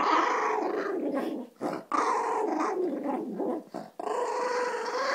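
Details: Maltese indoors guarding a stolen food bowl from another dog, growling almost continuously with brief pauses, a rough harmonic grumble that sounds like talking back.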